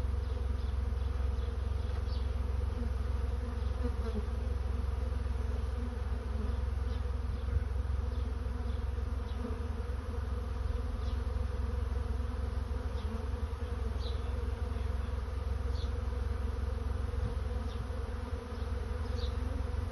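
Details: Honey bees in a swarm finding a new home: a constant, full-bodied buzzing hum with faint intermittent higher ticks and passing bee whines, over a persistent low rumble.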